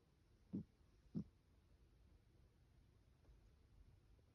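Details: Sleeping cat snoring indoors: two short, soft, low puffs of breath about half a second apart, then quiet breathing in a small room.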